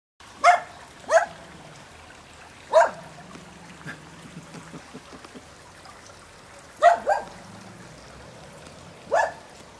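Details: Tibetan terrier barking: short sharp single barks, two close together, then a pause with a low soft whine, another bark, a longer gap, then two more quick barks and a final one, over faint steady background noise.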